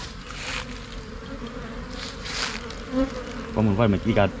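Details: A Thai cavity bee swarm, Asian honey bee, moving into a new box in Thailand: a low steady drone of many bees with a hissy wash, then a man's voice cutting in over the buzz in the last second.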